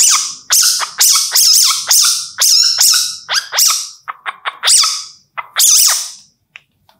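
A baby civet gives shrill, squeaky cries in quick bursts, each sliding up and down in pitch.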